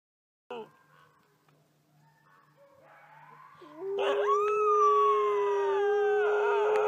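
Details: Female red wolf howling at a wolf conservation center in South Salem, New York: soft faint opening notes, then a loud sustained howl that rises and holds steady, with other overlapping howling voices joining near the end.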